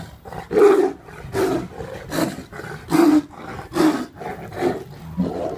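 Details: Caged tiliger fighting a Bengal tiger at GW Exotic Wildlife Park in Oklahoma; rough, throaty roars and snarls burst out roughly every second in a loud, continuous string of close-range aggression.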